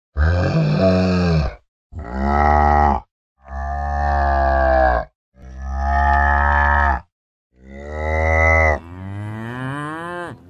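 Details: Cow mooing in five long harmonic-rich bellows separated by short silences, the last one ending in a rising, strained tone.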